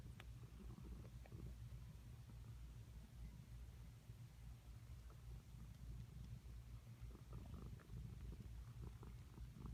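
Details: Pet cat making what sound like weird sucking noises: a continuous low rumbling purr with steady throbbing pulses and faint clicks above, no other sounds.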